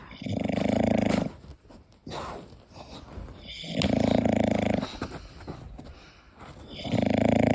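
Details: Koda the English Bulldog snores in deep sleep, long throaty rattling snores near the start, middle and end, each close to a second, separated by quieter snuffling breaths and small clicks.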